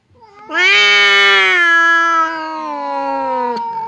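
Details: Two domestic cats, fierce Temon and quiet Lelo, face off across a partition that keeps them from fighting; one long, drawn-out, harmonically rich yowl swells suddenly, holds steady and slowly sinks in pitch, ending with a click.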